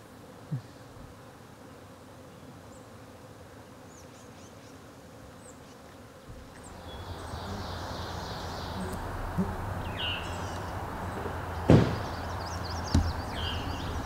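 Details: Wild honey bees living within the White Memorial wildlife sanctuary in New England give a low, steady buzzing hum. It grows louder in the second half, with a few sharp clicks and thumps.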